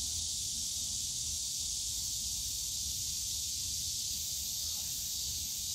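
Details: Cicadas buzzing in the bamboo grove of Yongsan Family Park on a summer day: an unbroken high, hissing drone, slightly softer, above a low rumble of park sounds with faint distant murmurs.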